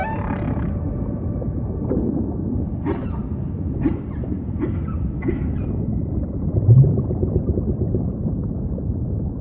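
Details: Humpback whale song in ocean ambience: a series of short pulsed, grunting units spaced about a second apart, fairly faint above a constant deep rumble of water.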